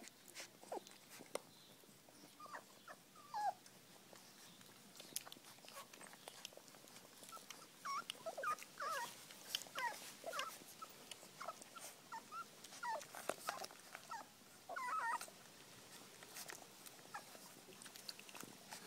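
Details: Feeding puppies in a small room: faint, scattered high squeaks and brief whimpers over steady lapping and clicking noises of feeding, no single voice dominating.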